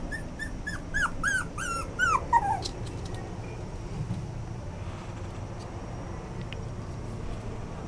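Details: Toy Poodle and Yorkshire Terrier mix dog whimpering: a quick run of high, thin, wavering whines, each bending up then down, crowded into the first two and a half seconds, followed by quiet room hiss.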